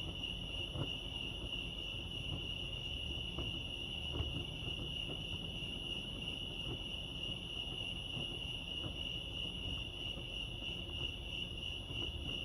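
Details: Continuous shrill cricket chorus at Lake Arrowhead in California, an unbroken high ringing tone with fine rapid pulses, and low-pitched ambient rumble plus occasional faint taps underneath.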